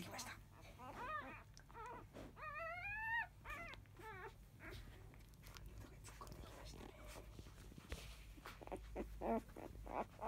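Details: Field-type Labrador Retriever puppies, five days old, from a litter born to the 2017 JFA Grand Champion biscuit: clear high whining cries that rise then fall, a long wavering wail near the middle, then soft rustling and low hum.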